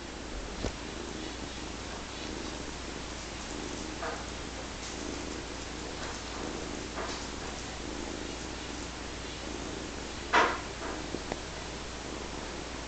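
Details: Nine-week-old foster kitten that loves sitting on people's laps, purring loudly: a continuous, even, grainy rumble throughout, broken by a couple of faint clicks and one brief louder rustle.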